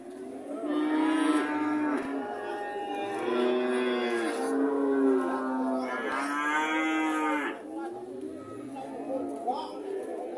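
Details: A relaxed heifer at an Indonesian animal market moos repeatedly, long wavering lows with bending pitch, several calls in quick succession, with faint market noise behind.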